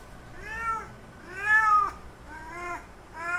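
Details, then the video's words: Male cat calling to a female cat in heat for mating: four clear, harmonic meows in a row, each rising then sagging, the second loudest and longest, in a quiet setting. "Male Cat Calling Female In Heat Sounds"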